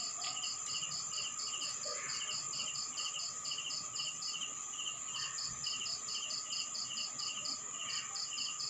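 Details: Crickets at night in a rural town in the Philippines, raw field recording: steady rapid pulsed chirps in rows, several insects overlapping with a continuous high whine and a lower steady hum beneath.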